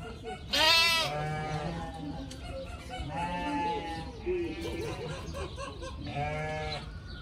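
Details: Playful pygmy goat kids romping, head-butting and chasing each other outdoors give short, wavering, nasal bleats, with a voice talking softly underneath.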